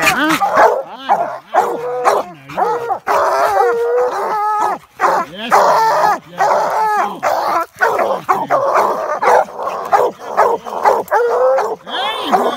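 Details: Treeing Walker coonhounds and American Leopard hounds treeing a raccoon in a swamp: several dogs give overlapping loud bawling barks and drawn-out chop howls, with a man talking.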